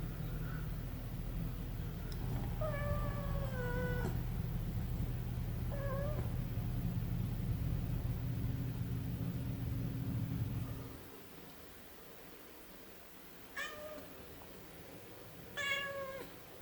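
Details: Munchkin kitten named Milo meowing indoors: a drawn-out, slightly wavering meow, then a short one, over a steady low hum that stops midway; later two more brief, bright meows in quieter surroundings.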